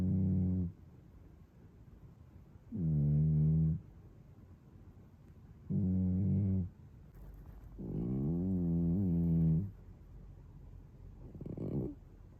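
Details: Snoring of a sleeping male British Shorthair house cat, one of two males in the home, recorded indoors on an iPhone 13 on 17 July 2022. Low, droning, harmonic snores last about one second each and come every two to three seconds, five breaths in all.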